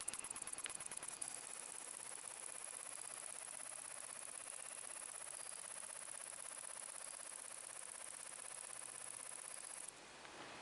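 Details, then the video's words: A grasshopper chirps in the evening (8:16 PM, 24 August 2015), a steady, hissing high-pitched buzz of rapid pulses that stops abruptly. "Grasshopper Chirping"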